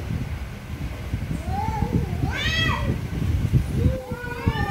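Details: Angry cats meow loudly over a heavy low rumble: a rising-then-falling wail, a brief shrill harsh cry, then another long bending meow near the end.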